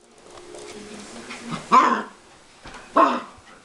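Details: Siberian Husky puppy playing rough with a man indoors: a low rumbling growl, then two harsh, gruff bark-like bursts about a second apart.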